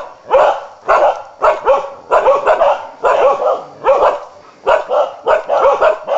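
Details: A Karelian bear dog hunting wild boar barks loudly and almost without pause, sharp harsh barks tumbling out in pairs and triples, roughly every half second.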